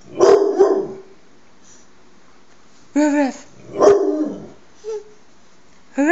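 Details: Dog giving a pair of sharp, gruff barks, a pause, a brief tonal voiced sound, then another bark burst and a short cry, with a four-month-old baby nearby and a woman speaking.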